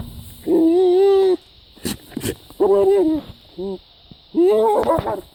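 A goat bleats repeatedly, producing strained, nasal cries that hold steady before wavering at the end. Long calls alternate with brief, clipped ones, separated by short pauses and a few faint background noises.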